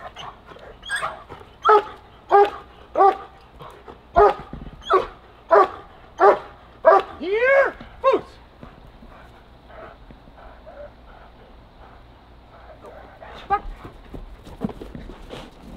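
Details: Rapid series of strong, evenly spaced barks from a German Shepherd during protection training, roughly one every 0.7 seconds for eight seconds, followed by quieter sporadic barks and a handler's voice.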